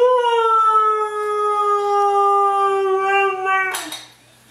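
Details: A female Siberian Husky answers a morning greeting with a long, even, melodic howl of nearly four seconds, ending in a short noisy burst. A person says good morning and good girl before and after.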